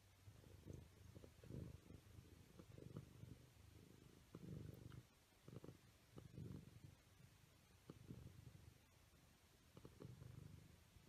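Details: Siamese kittens at play, a low rumbling purr in uneven bursts of about a second, pausing between pulses, with soft thumps and faint room noise.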